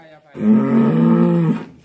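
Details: Black bull, said to be raging, in Indonesia lets out one long, rough bellowing moo of over a second, with a man speaking briefly afterward.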